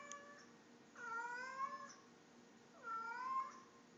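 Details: Tommy, a house cat, answering its owner indoors at bedtime with two loud drawn-out meows about two seconds apart, each rising then falling, over faint room noise.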